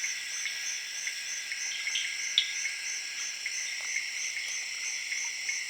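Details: Crickets and tree frogs in a Zaire jungle in late evening: a dense chorus of crickets trilling steadily in a high, continuous shimmer, with scattered frog clicks.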